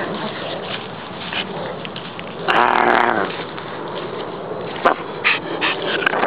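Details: Two short-haired Brussels Griffons playing in a park; one loud, harsh bark-like burst near the middle stands out over steady outdoor background noise, with a few fainter short sounds later.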